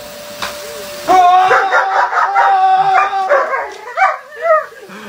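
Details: German Shepherd dog protecting a person from a vacuum cleaner, letting out long, wavering, howling yelps and sharp whines over the machine's constant hum, ending in short rising cries.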